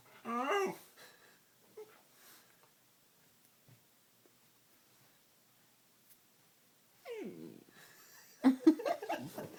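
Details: Pet dog making funny noises while a person plays with it indoors: a short high, wavering whine at the start, a long quiet stretch with faint rustles, then a falling whine and a burst of rough, grumbling yelps near the end.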